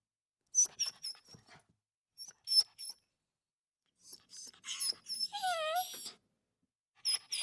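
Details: Small dog whimpering: clusters of short, sharp squeaky yelps, then a longer wavering whine that slides down in pitch, followed by more brief high squeaks.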